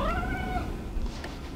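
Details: Talking house cat meowing defiantly indoors: a single meow that starts mid-pitch and slides slowly downward, fading after half a second, over low rumbling room noise and faint music.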